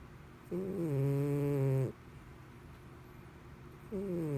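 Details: Mr Whiskers, a domestic cat, asleep and snoring loudly like a person; one long tonal snore of roughly 1.4 seconds, then quiet, then another snore beginning near the end.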